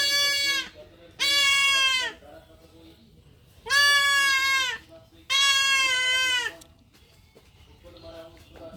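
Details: Goat kid being castrated, giving four loud, harsh, drawn-out bleats, each about a second long, with short pauses between. Faint human voices can be heard in the quiet gaps.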